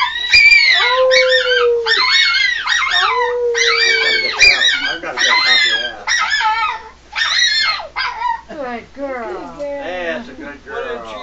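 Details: Pet dog singing along with its owners: loud, wavering high howls in quick bursts over a lower held human note, breaking into choppier yelping whines toward the end.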